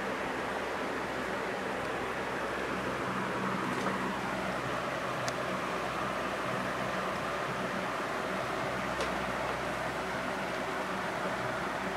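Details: A steady indoor hum from a fan or air conditioner fills the room, broken only by a few faint clicks.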